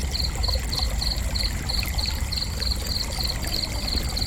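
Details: Steady cricket chirping: short high trilled pulses repeated about three times a second without a break, above a constant low rush of water-like noise.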